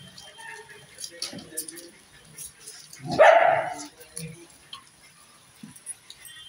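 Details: Dog giving one loud, harsh bark burst near the middle, set among quiet room noise, a few soft human voices and a steady high electronic whine.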